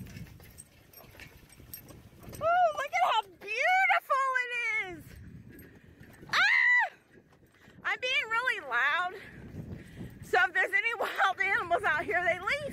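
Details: Alaskan Malamute Tonka pulling a beach bike along a river, giving a string of drawn-out, wavering woo-woo howls that rise and bend in pitch, some long and steady, others broken into short wobbling bursts, over low outdoor rumble.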